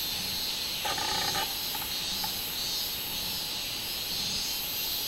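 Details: Summer song of the robust cicada (minminzemi), 24 July 2016: continuous piercing insect buzz with soft rhythmic swells, interrupted early by a brief, lower harmonic chatter.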